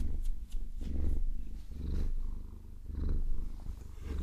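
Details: Deep purring from a pet Maine Coon during a long-nail massage, a low continuous rumble pulsing in slow uneven waves, with faint rustling scratches from the nails.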